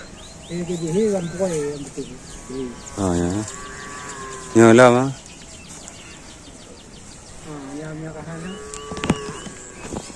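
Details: Cow giving odd-sounding calls: several short, harmonic, wavering moos, with the loudest deep bellows near the middle. Bird chirps are heard throughout in the background.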